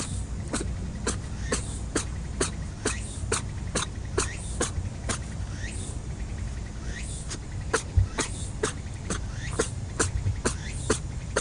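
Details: A rabbit that can't stop sneezing, Okunoshima island, Hiroshima Prefecture, Japan: a long fast series of tiny snapping sneezes, roughly two each second, continuing steadily over low outdoor rumble.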